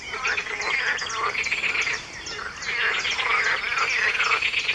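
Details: Early-morning frog concert at 4 a.m., 23 June 2019: continuous rattling croaks merge into a steady chorus, while several birds chirp and twitter above it throughout.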